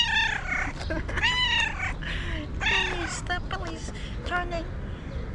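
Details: Meowing cat, calls intended to draw other cats near: several bright, bending meows of varying length, overlapping with a person's voice and steady background noise.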